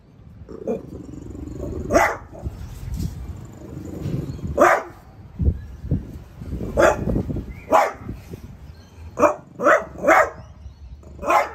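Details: French Bulldog named Piper, a pet at home, barking at a new artichoke plant; sharp barks scattered through the clip, some in quick pairs, over low rumbling background noise.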